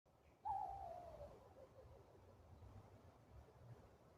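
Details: A raccoon gives a single tonal, whining call, described as a strange, weird noise of unknown cause, that slides downward and fades over a low background rumble.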